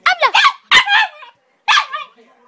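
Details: Westie named Vito making 'talking' sounds, a quick run of warbling, moaning yips rising and falling in pitch, then a pause and one final drawn-out whine trailing off.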